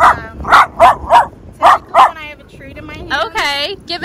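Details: Miniature Dachshunds, two females, one hyper and one timid, in obedience training; about six sharp barks in the first two seconds, then a person's speech.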